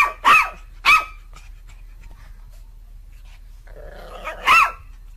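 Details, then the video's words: Happy dog barking playfully for fun: three separate sharp, clear barks spaced over a few seconds, with a soft rustling noise just before the last one. "Dogs barking out loud for fun happy dogs"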